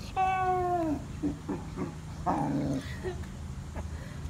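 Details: A Bluetick Coonhound, rolling on the ground after swimming in a pool, bays with one drawn-out, slightly falling note, followed by softer grunting growls.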